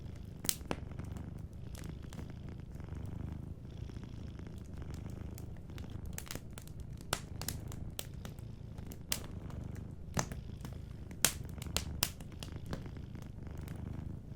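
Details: A soft purr from a sleeping cat rumbles continuously beneath a lively fireplace. Frequent sharp crackles and snaps from burning wood stand out above the low breathing rhythm of the purr.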